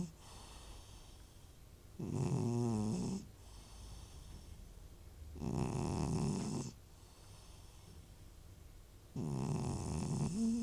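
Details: Old cat snoring very loudly indoors: three long, rough, rattling snores, each about a second long, coming roughly every three to four seconds with quiet breathing between them.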